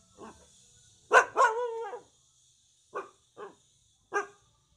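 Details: Frightened puppies meeting an unfamiliar visitor at a home with many dogs: a loud bark that stretches into a wavering whine-like yelp, followed by three short clipped barks at intervals of about a second, against a quiet background.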